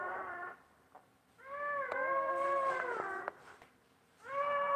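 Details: Basset Hound mother caring for newborn puppies; short whine, a pause, then a steady, slightly falling nasal moan lasting about two seconds, followed by another whine beginning.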